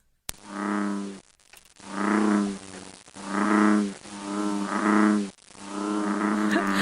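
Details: An American bullfrog from Connecticut gives deep, droning, harmonic calls likened to a lightsaber. Each call lasts about a second and is repeated in a slow series.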